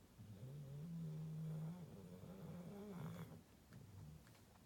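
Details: A sleeping female Rottweiler snores with a low, rumbling drone that rises and falls with each breath.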